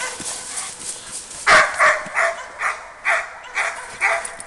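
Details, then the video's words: Labrador Retriever barking during a barking exercise: a run of about eight sharp, mid-pitched barks spaced roughly half a second apart, with faint room noise between them. "labrador Ergo barking excercise"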